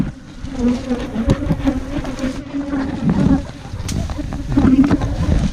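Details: Wild ground bee, a small cavity-nesting honeybee that nests in holes underground or in termite mounds, dug out by honey hunters in Thailand; a steady low droning hum holds throughout, with rustling, knocks and faint voices.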